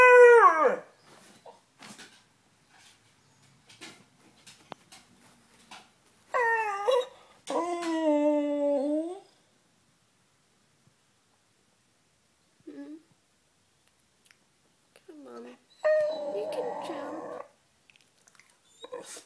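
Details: Beagle named Sniffer howling to be let onto the bed: a falling yelp, then two drawn-out wavering howls sliding downward, later short whimpers and a rough grumbling howl, with soft shuffling and quiet gaps between.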